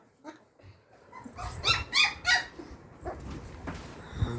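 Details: Labrador Retriever puppies giving short high yips and whimpers, with a quick burst of three sharp yelps near the middle, over background household noise.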